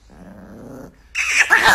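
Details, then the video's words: Angry Chihuahua, a pet, gives a low, steady buzzing growl for almost a second, then after a brief pause bursts into a loud, harsh, noisy snarl or bark lasting over half a second. "The most Angry and Funny Chihuahua Compilation"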